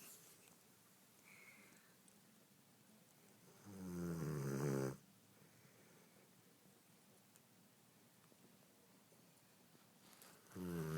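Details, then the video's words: Dog named Shooter snoring, passed out asleep after Thanksgiving: two loud, low, harmonic snores about seven seconds apart, each lasting roughly a second, with quiet breathing between in a small indoor room. "Shooter snoring"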